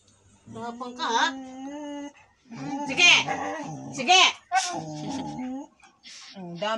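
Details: Siberian Husky arguing with low, wavering whines and groaning notes that rise and fall in pitch, broken by sharper breathy yelps, in a small indoor room with speech nearby.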